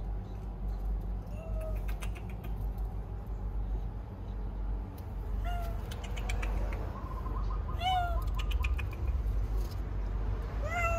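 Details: Birth of kittens to a stray cat: scattered thin meows, with a cluster of rising and falling mews near the eighth second and another at the end, over a constant low background hum.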